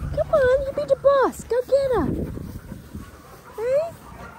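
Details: Linc, a young Australian cattle dog puppy, plays with the big puppies in a paddock. He makes a quick run of high, wavering yips and whimpers that bend downward, then pauses before one last rising whine.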